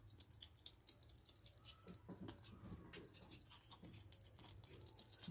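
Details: Pet ferret eating a raw meal of rabbit carcass, chicken neck and beef indoors; quiet, steady crunching and wet chewing clicks with soft patter, no voices.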